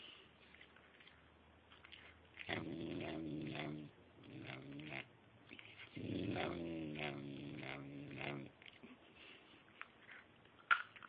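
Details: Silken Windsprite named Merlin, trained over several months to tell little stories, talking indoors: two long, wavering, grumbling bouts with rich harmonics. The first runs about two seconds with a short follow-up, the second lasts about two and a half seconds. Light clicks fill the gaps.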